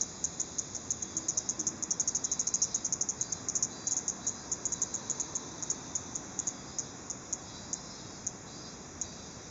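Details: Cicada directly overhead, starting to move after being filmed at close range on a digital camera and apparently alarmed, giving sharp high clicking chirps in rapid bursts, fastest early on then thinning to sparse, irregular ticks over a steady high hiss.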